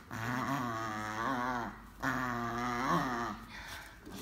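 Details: A male German Pinscher playing a pulling game gives two long, steady, slightly wavering growls, each lasting nearly two seconds.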